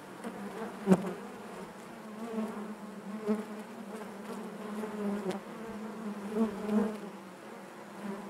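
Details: Honey bees humming in their hive, a soft even drone of many wings with a short sharp buzz near the start and gentle louder pulses toward the end.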